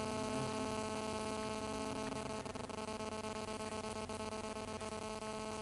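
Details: Hornets at a nest they built after chewing through a tarpulin over a woodpile, agitated, with a person sitting close by; a dense, steady droning hum with many stacked harmonic bands runs throughout, with faint flickering pulses.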